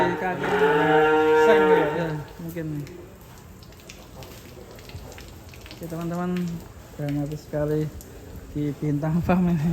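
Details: Enraged cow escaped from its stall and stuck in sucking mud; one long loud bellow for two seconds, then a quiet gap and several short lower moos in quick succession.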